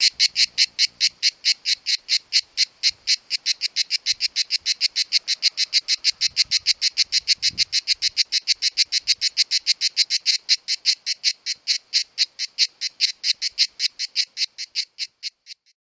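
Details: Pair of cicadas in summer giving a long, fast, grating buzz made of closely packed high pulses, continuing at steady strength for about fifteen seconds before stopping abruptly; a faint low thump is heard midway.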